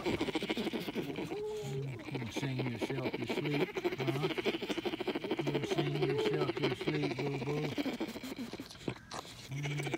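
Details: Baby bear sucking his paw and humming himself to sleep in captivity: rapid, low, buzzy pulses, a steady motor-like drone broken into short bursts.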